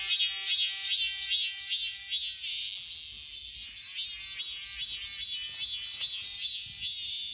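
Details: A robust cicada (Hyalessa fuscata) sings in a persimmon tree: a shrill, high buzz pulsing about two or three times a second, then swelling into a steady, loud drone.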